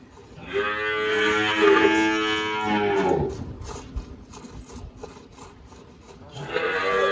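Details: Malhada, an 18-year-old spotted Girolando dairy cow on a farm in Anápolis, Goiás, Brazil, March 2023, gives a loud moo of about two and a half seconds, followed by quieter farm noises and a second call starting.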